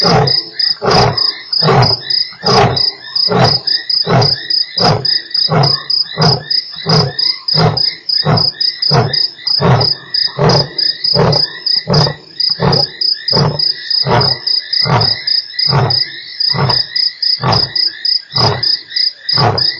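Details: Lion at Nkorho on 3 March, one of eight roars heard within an hour. A long series of about twenty-five deep, pulsing grunts keeps a steady beat over a constant shrill cricket trill.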